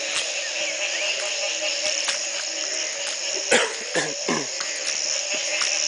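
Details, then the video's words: Many frogs call together from a home in Belize in 2010, the morning after the first night of rain following a three-month drought. A dense, steady chorus forms continuous droning and buzzing layers, with a few brief louder knocks. "Frog calls galore"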